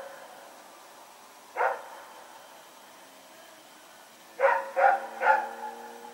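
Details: Dog named Rex running about at night, recorded September 21, 2018: a single bark, a pause of nearly three seconds, then three rapid barks in close succession against a faint background hum.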